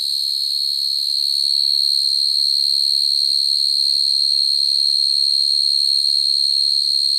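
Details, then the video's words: Field cricket singing naturally at night to call females, a recording meant for cricket trapping: an even, piercing trill sustained without pause, a soft low murmur faintly audible beneath. "Tiếng dế mèn kêu, dế cơm kêu dùng để bẫy dế chuẩn"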